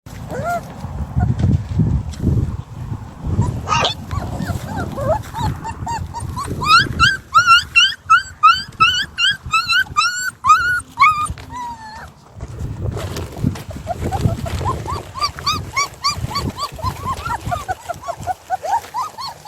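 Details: Puppies from a litter of seven, filmed on the day two of them escape their play area. High, arched yelps repeat rapidly in bursts, with a quiet gap midway, over low thumping and handling noise.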